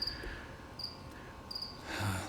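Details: Cricket loose in a room, apparently a feeder cricket meant for a pet: short high clear chirps repeated about every 0.7 seconds, faint over a room hum, with a rustling noise near the end.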